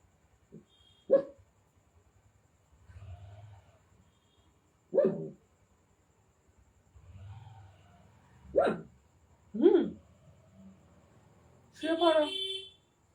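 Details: Indian desi puppy giving five short, sharp barks spread irregularly across the recording, each a brief bright burst, with soft low murmuring voices in the quiet stretches between them.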